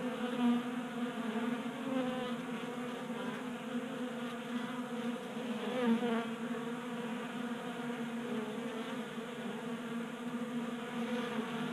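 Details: Honey bees crowding a 3D printed feeder in a Colorado garage on a warm January day; even, rich buzzing of many wings throughout, with small rises in loudness as bees come close.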